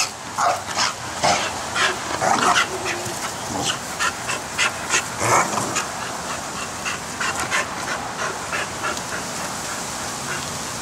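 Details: Pit Bull in a backyard barking and yipping at people playing with a giant bubble maker; short sharp barks come in quick irregular bursts, louder early on and thinning out toward the end, over a steady background hiss.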